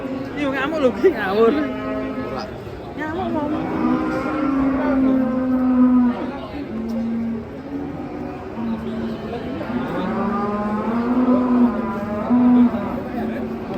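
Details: Masked cow, rampaging badly while being unloaded from a truck, gives long, deep, drawn-out moos in several repeated bellows. Some rise and fall in pitch. Murmuring voices sound in the background.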